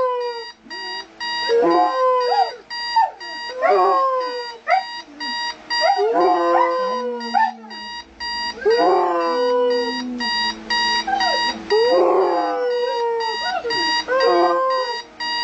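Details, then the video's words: A Siberian Husky howls in wavering, sliding bursts against a steady, high electronic alarm tone from a wake-up alarm clock, howling at the alarm. "My Husky howling at the alarm clock"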